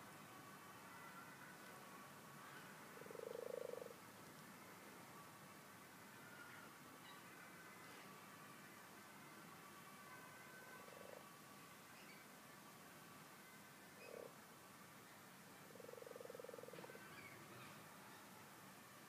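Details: Twelve frogs in a garden pond: a loud, low croak early on, followed by shorter, softer croaks, then a longer drawn-out croak near the end, over continuous hiss.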